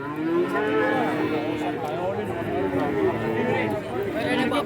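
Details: Several cattle at a busy livestock market in Kajen, Pekalongan, Central Java, Indonesia, where feeder cattle are traded; overlapping low moos rise and fall continuously, with market chatter and murmur beneath.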